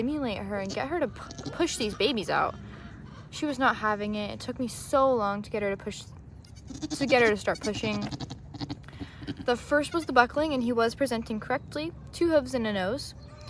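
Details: Repeated wavering bleats from ADGA Nigerian Dwarf goats in Northern California during the first-time birth of twins to the doe Maggie, overlapping with a woman's encouraging talk throughout.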